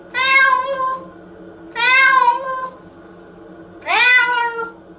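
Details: Cat named Nora crying against being washed in the shower; three long, wavering meows with rich overtones, the last one rising sharply then sliding down, separated by short pauses and a faint background hum.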